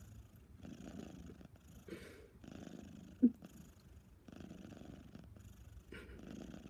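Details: Snoring from Lil Ana, a female cat just after her desexing: quiet, rasping breath pulses in slow rhythm, broken by one sharp click near the middle.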